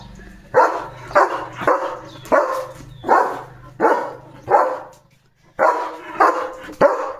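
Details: German Shepherd kept as a pet, on morning guard at the house gate after spotting another dog; repeated loud, rough barks in two runs, about ten in all, with a short silent break near the end.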